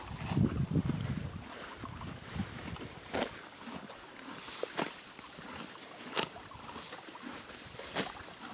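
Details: Horse Billy grazing on green grass at a creek. A brief low rumble opens, then distinct crisp crunches of tearing grass come every second or so, over a background of trickling creek water.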